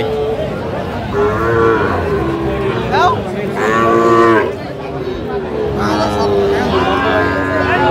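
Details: Sahiwal bull calves at a cattle market, bought by a farmer from Mymensingh, Bangladesh, on 19 April 2025. Several drawn-out, wavering moos rise and fall, one around each of the second, fourth and seventh seconds, over a steady crowd murmur of the market.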